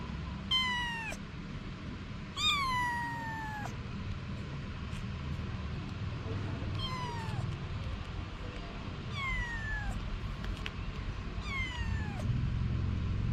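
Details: Anna, a mother cat, with her kittens. A run of five plaintive meows, some long and some short, each bending downward in pitch. A continuous low rumbling background runs throughout.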